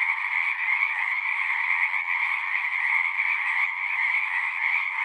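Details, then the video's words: Frogs calling together at a pond in a horse pasture, captured on a Zoom recorder: a thick, unbroken wall of overlapping trilled croaks, steady in loudness throughout, with no other animals or voices. "Frogs singing"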